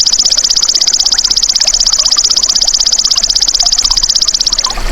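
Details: Golden grasshopper, its natural voice offered as tutor material for songbirds: an unbroken, piercing high trill made of very rapid, even pulses, holding steady almost to the end over a faint rural background.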